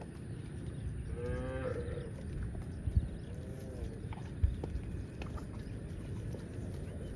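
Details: A tame cow roaming village streets toward the farm pen gives one short, nasal moo that rises then falls, over a steady low rumble.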